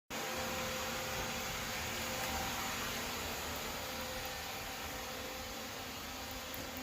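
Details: Loud, even broadband rushing like a vacuum cleaner or fan fills the room from start to finish, and no animal is heard.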